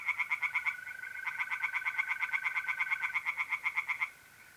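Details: Tree frogs singing at night from a pond in north-east Italy in mid-April: rapid, regular pulsed croaks, about eight per second, run for four seconds, over the steady, even trill of mole crickets.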